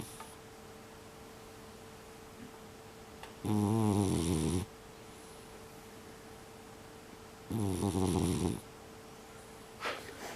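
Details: Loud snoring from Bunta, a brown tabby mixed-breed pet cat, recorded indoors in December 2021: two deep, rasping, buzzy snores, each about a second long and roughly four seconds apart, with a quiet steady hum between them.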